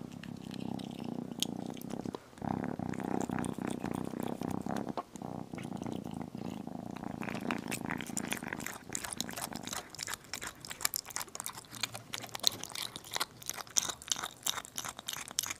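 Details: Small kitten at a meal of chicken, purring: a continuous low, throbbing purr fills the first nine seconds before giving way to wet chewing and crunching bites.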